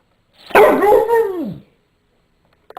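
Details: A Rottweiler mix, barking for no apparent reason, gives one drawn-out, tonal bark that rises and then slowly falls away.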